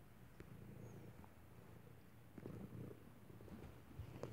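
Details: Indoors, the rescued stray tomcat Wolfy, covered in scabs and ear mites yet affectionate, purrs close by in a continuous deep, rumbling drone that swells slightly midway, with faint rustling in the background.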